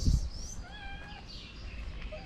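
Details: Sterilized white cat with new feline friends among Moroccan street strays: one level meow of about half a second with clear stacked harmonics, over low rumbling background noise and faint high chirps.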